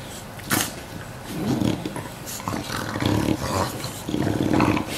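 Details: Two English Bulldogs, one aged one year 89 days and one aged one year five days, recorded 19 September 2015; low rumbling growls and grunts in bursts, with a sharp knock near the start.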